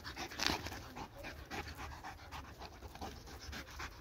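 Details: Pet dog panting hard while chasing a laser pointer indoors, restless with energy it cannot burn off; quick breathy puffs, about four a second, steady throughout, with a human voice speaking nearby.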